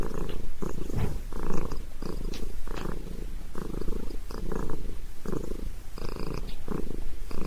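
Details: Sabrina, a pet cat enjoying a head massage, purrs steadily; low buzzing rumble pulsing in rhythmic waves with inhale and exhale, close and loud, nothing else audible.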